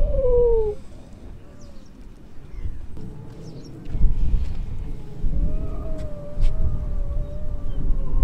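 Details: Baby Atlantic seal pup on a Lincolnshire beach, separated from its mother, gives wavering, drawn-out wailing cries, a short falling one at the start and a longer one from about five seconds, over heavy low wind rumble.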